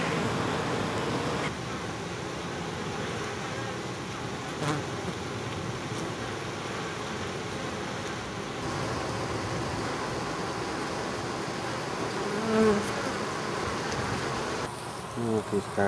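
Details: Honey bee drones, male bees, in an oak tree in Tampa, Florida, where a growing colony prepares to swarm with a new queen; steady dense humming drone of many bees throughout, recorded on a Panasonic PV-GS83 camcorder, with brief clicks and a short louder burst near the end.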